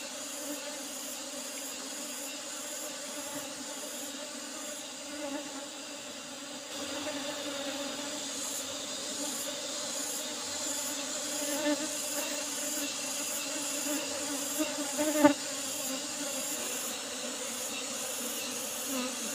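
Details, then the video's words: Asian honey bees (Apis cerana) at a honey harvest from an old-style box hive with a used asbestos-sheet lid, a steady droning hum with low tonal bands, a faint high hiss, and occasional knocks and clicks. "panen lebah madu apis cerana super"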